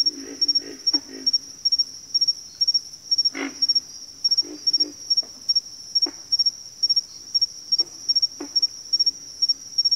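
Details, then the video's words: Low grunting frog calls in a backwater, a burst of several rapid croaks at the start, then single, spaced grunts, while an insect keeps up a piercing pulsed buzz above. "FROGS - Pig Frogs, Water Frogs, Backwater Chorus, & Frog Chorus"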